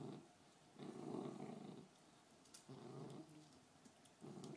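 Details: Fergie, a female beagle, growls while guarding her bone: low rumbling growls in four bursts of about half a second to a second each, separated by short pauses, in a quiet indoor room.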